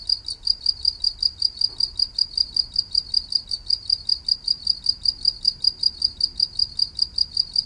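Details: Cricket-style chirping from a green insect known in Thai as maeng tao thong. Bright, high-pitched pulses follow one another in an even, fast rhythm, about four a second, over a quiet low hum.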